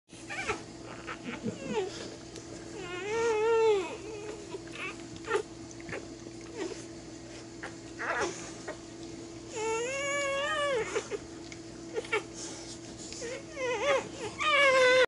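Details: A newborn Labrador Retriever puppy, tended by its mother, gives high, wavering squeals and whimpers that rise and fall in pitch.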